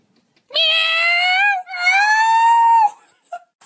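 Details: A cat gives two long, drawn-out meows of about a second each. They are loud, tonal and richly harmonic, holding steady with a slight rise in pitch, followed by a brief faint sound in a quiet indoor setting.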